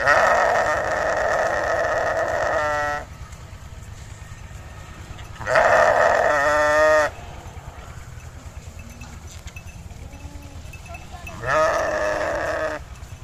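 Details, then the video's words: Sheep bleating three times, each a long, loud, nasal bleat of two to three seconds that ends in a rapid quaver, spaced several seconds apart over constant low background noise. "Sheep Making A Cute Noise"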